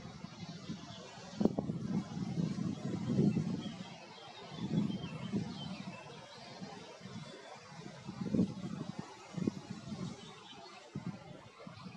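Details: Low rumbling traffic and muffled voices over steady outdoor background noise, with no clear animal calls.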